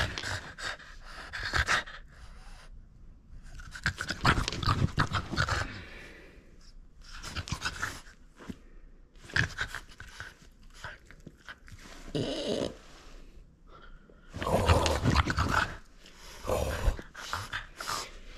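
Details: Playful French Bulldog holding on to a toy it won't surrender, breathing in heavy, rough pants that come in uneven clusters, with crunching bursts between them.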